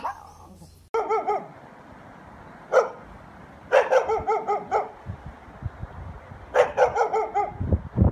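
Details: Dog barking loudly in bursts: a short bark near the start, then clusters of three to four sharp harmonic barks separated by pauses of a second or more, over a steady low hum and background rumble.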